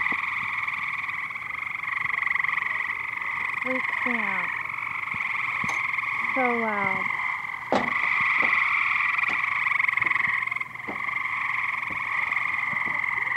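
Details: Frogs crowding a backyard swimming pool keep up a loud, steady pulsing buzzy chorus, while a person speaks with short descending vocal sweeps and several sharp clicks and knocks sound over it.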